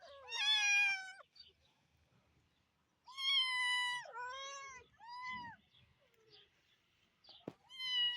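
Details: Kittens playing in a green garden, several clear drawn-out meows, some rising then falling, about a second long each, with short gaps between; a sharp click near the end.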